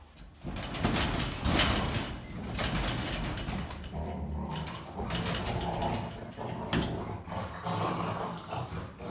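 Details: Rough play-fighting among three German Rottweilers, wrestling and bugging a resting dog chewing a stick: continuous loud, gravelly growling and snarls mixed with scuffling and clattering noises.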